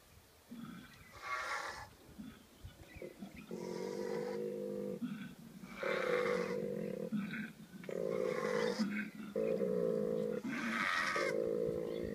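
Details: Female and male koalas during mating season: the male gives very deep, snoring, rasping bellows in long pulsed bursts, while the female adds harsh screeches; calls repeat in runs of roughly a second or more.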